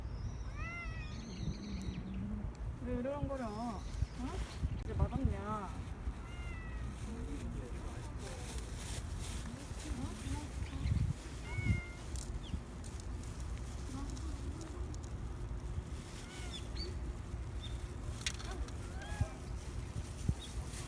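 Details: A stray cat named Rangrang, returned injured to its feeding spot in November 2018, meows repeatedly in the first few seconds, wavering cries over steady outdoor hiss and a woman's speech, then mostly quiet background.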